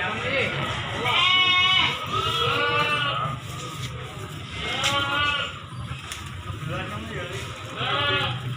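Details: At a livestock market in Solo, Indonesia, goats including does and young kids bleat repeatedly in short quavering bursts, four or five calls mixed with people talking nearby.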